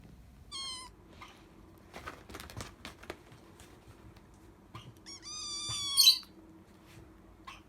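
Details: Hungry rescued kitten, found abandoned in late September, begging for food with high meows: a long harmonic-rich cry near the start, short squeaks, then a louder rising meow ending in a shrill squeal around six seconds.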